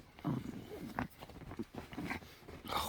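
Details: Pet poodle Sinbori playing with a favourite stuffed doll, giving rough, throaty growls in short uneven bursts, with a person's voice talking over and between them indoors.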